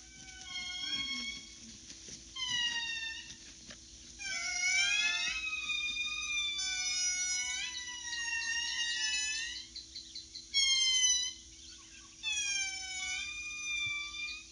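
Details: Indris, the largest lemur, wail in loud, tonal, overlapping notes that slide and hold, in bursts every few seconds, calling in forest in Madagascar.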